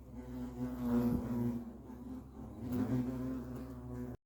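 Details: Continuous deep droning hum from European hornets at their nest, rising twice to louder surges as insects move close, then ending abruptly.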